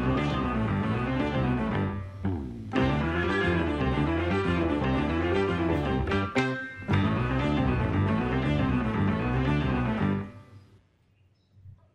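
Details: Bowed string and guitar music plays steadily, breaks off briefly around the two- and six-second marks, and fades to near silence at the end.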